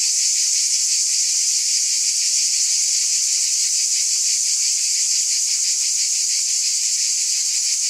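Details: Steady high, sizzling drone of cicadas with a quick rhythmic flutter, unchanging in level, heard alone with no other animals or noise.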